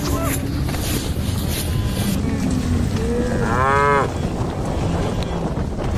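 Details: African buffalo herd near a calf being brought down by wolves, before retreating: a low bellowing moo with a stacked, slightly rising tone midway, over a steady low rumble and background music.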